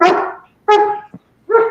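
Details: Belgian Malinois German Shepherd mix, protection trained, barking indoors in a shop while its owner talks with nobody else present; three loud, harmonic barks, each under half a second, with short gaps between them.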